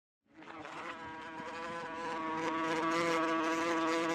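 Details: Wasp buzzing with a steady, droning hum that fades in at the start and grows louder, full of rich overtones, described as a sharp, pulsing buzz with rapid wingbeats.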